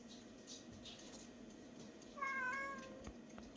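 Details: Bomi, a pretty-voiced cat from a rural island cat shelter housing about 40 rescued animals, lets out one short meow with a slight wavering pitch after two seconds of quiet hissy room sound, followed by a soft thump.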